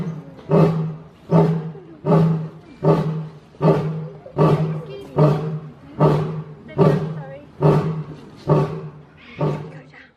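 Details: Lions roaring in a steady series of low, booming grunts, very evenly spaced at just under one per second, each swelling quickly then fading before the next.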